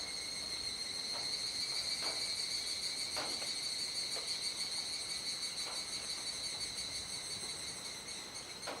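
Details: Cicadas in a dusk chorus at Kuji, Iwate Prefecture, Japan, on 17 July 2017 around 19:11–19:25, still in the rainy season. A steady, shrill drone with stacked high tones runs throughout, broken by faint soft knocks.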